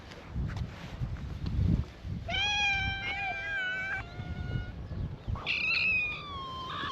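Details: At a cat gathering on a cat island in Japan, free-roaming cats greet a visitor with loud, rich meows, one long level cry lasting nearly two seconds, followed by higher wavering mews from another cat, over soft low outdoor noise.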